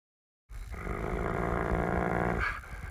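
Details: Playful pit bull growling while trying to get his toy back: one steady, rumbling, low growl lasting about two seconds, then a short rise in pitch as it fades out.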